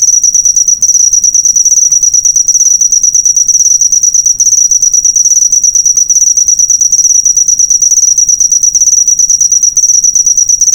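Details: Master track of a cricket for cage-bird training: continuous high-pitched, rapidly pulsed chirping, even in loudness and pitch for the whole stretch.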